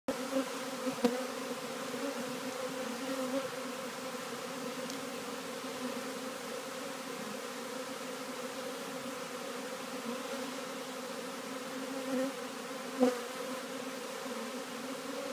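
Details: Honey bees walking into a new hive, 7 March 2013: a steady, even low hum of many wings with layered drone tones, hardly changing over fifteen seconds, with a few faint clicks.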